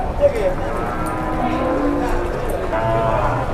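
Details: Cattle in Indonesia lowing amid a noisy crowd: a drawn-out, low, slightly falling moo with layered harmonics, overlapped by people talking nearby throughout.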